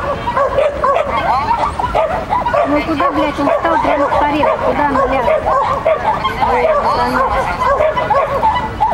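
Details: During a child-and-dog competition on 31 May 2015, the sheltie Lesya keeps up a stream of high rapid barks while a person talks loudly over them for much of the stretch.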